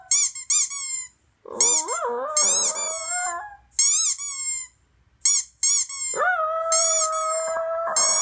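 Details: Indoor toy poodle answering squeaky toy sounds from a laptop. Short grumbling, bending vocal sounds come first, and a steady, drawn-out howl closes the recording, with many quick, high-pitched squeaks in rapid groups throughout.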